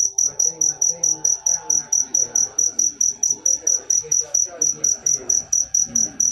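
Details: Loud cricket chirps, shrill and pulsing at a brisk steady beat, about two per second, with faint murmuring in the background.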